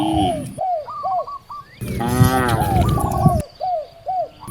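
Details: In a village by vast rice fields, a hungry cow gives one loud, wavering moo lasting nearly two seconds, framed by short rhythmic bird calls.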